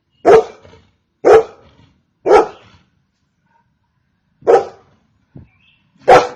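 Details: Single Golden Retriever barking steadily: three forceful barks roughly once a second, a short gap, then two more barks with a brief soft sound between them, on clean silence.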